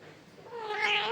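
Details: Domestic cat in an angry mood, indoors, giving a drawn-out, rising, harmonic yowl that swells louder toward its end over about one second.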